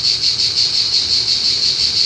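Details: Cicadas massed in a loud chorus at a car park just outside Montpellier in southern France: an unbroken, high, hissing buzz that swells and dips in quick, even pulses, nothing else audible over it.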